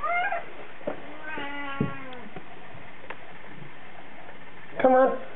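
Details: ['Male Bengal cat crying during a weekend car ride downtown: a short meow, a longer wavering wail, then another brief meow over steady road noise.']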